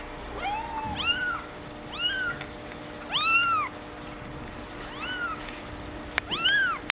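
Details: Female Maine Coon kitten born on 28 April, meowing: a series of high, thin mews, each rising then falling in pitch, about one per second, with a steady faint hum in the background.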